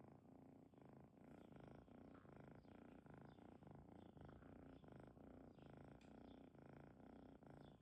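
A domestic cat purrs steadily, a deep low rumble pulsing in a continuous rhythm.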